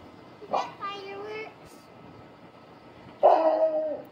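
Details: Bullmastiff named Tua in a backyard, switching from play to guarding after hearing a noise; a short bark, then a whining tonal call, a pause, and a loud drawn-out bark-howl near the end.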